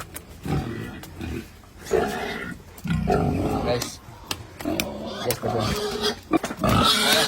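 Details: Pietrain and Large White gilts on a hog farm, penned together: rough, noisy grunts and squeals in bursts, mixed with a man talking and metallic clatter.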